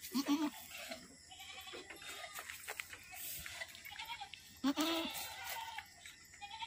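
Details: Boer goat kept by an Aceh breeder, recorded around the birth of twin kids; two short, nasal, quavering bleats, one at the start and another near five seconds, over clicks and rustling barn noise.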